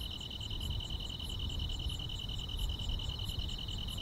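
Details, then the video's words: Grass insects on a quiet summer night in the countryside: a steady, fast pulsing trill at one high pitch, with fainter higher chirps spaced about every third of a second, over a constant low rumble. "여름밤의 포근한 풀벌레 소리"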